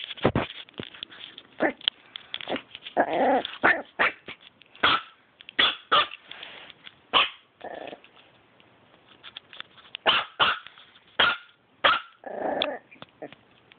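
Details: Dog barking in sharp, repeated bursts, some single and some in quick doubles, with a few deeper rougher barks and pauses between volleys.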